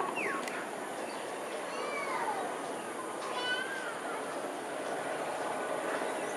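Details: Wild nomadic smooth-coated otters in south west Singapore, 1 February 2023 at 5:38 pm: several short, high squeaky chirps that sweep up and down, scattered across the stretch over a steady background hiss.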